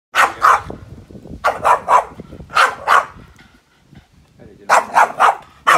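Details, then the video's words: Boston Terrier barking at a grill fire: four bursts of sharp, harsh barks, mostly in pairs or threes, separated by short pauses, with a person speaking Hungarian quietly in between. "Funny Boston terrier barking at grill fire"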